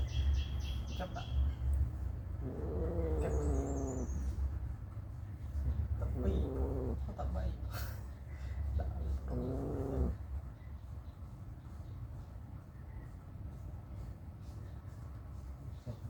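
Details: Mother cat staying close to her newborn kittens; a few short, wavering meows around three, six and nine seconds, partly overlapped by people speaking Khmer, with strong low rumble throughout and faint high chirps near the start.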